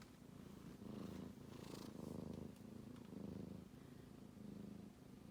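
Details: Sleeping kitten snoring: a low, rough, pulsing rumble that swells and fades with each breath, roughly one cycle per second, steady and close with faint rustling.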